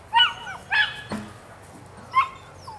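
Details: Female puppy, nine weeks old, from the Rodin/Katana line, giving three short high yelps with bending pitch, spaced about a second apart, plus a faint later squeak against quiet room noise.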